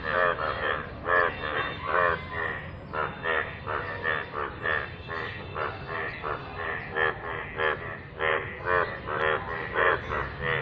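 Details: Yellow frogs call in rainwater with loud, throaty croaks, each a brief burst of rapid pulses repeated about every second; several callers overlap into a continuous rhythmic chorus.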